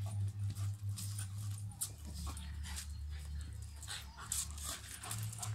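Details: Luna, a female Staffordshire Bull Terrier, gives rough, low growls broken by short, noisy barks and yips while playing with a young American Staffordshire Terrier at the vet.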